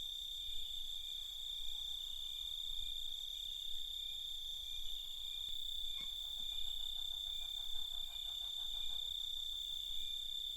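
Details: Crickets chirping at night in a steady, piercing high-pitched drone; about six seconds in, a sharp click is followed by a lower, rapid pulsing trill that runs on beneath the chorus to the end.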